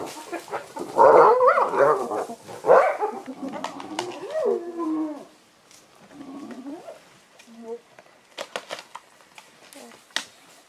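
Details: Spotted hyenas fighting over an impala carcass, vocalizing loudly: harsh, wavering calls and rising-falling whoops in the first seconds, then quieter moaning notes with sharp clicks and cracks of bone crushing later.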